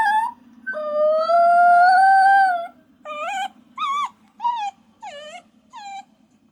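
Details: Puppy lets out a long, steady, drawn-out howl lasting about two seconds, followed by five short, bending whimpers spaced roughly half a second apart, over a faint low hum.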